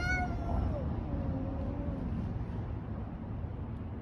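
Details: Street cats in a fight: a sharp, strained yowl opens, then trails into a fainter, long, wavering moan, over constant low street noise.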